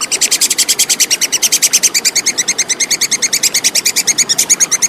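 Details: Tupai kekes, the plantain squirrel, in a clean recording for songbird tutoring: a steady stream of crisp, high-pitched ticking notes repeated rapidly, about eight per second, throughout without a break.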